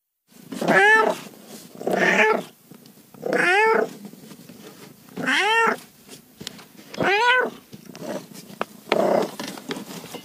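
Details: Domestic cat meowing: four loud, arched, harmonic meows about every two seconds, each under a second long, alternating with softer, breathy, noisy calls.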